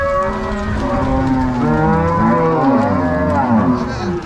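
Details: Herd of crossbred Angus-Nelore cows being driven from corral to pasture by cowboys and dogs in Ortigueira, Paraná, Brazil, 16/03/2022; dense chorus of overlapping low moos, unbroken for the whole stretch.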